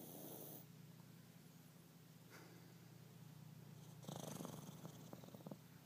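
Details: Lucy, a Chihuahua, snores while awake: a brief hissing rasp opens, then after a pause a louder, rougher snore with rapid clicking pulses from four seconds to the end, over a low steady hum.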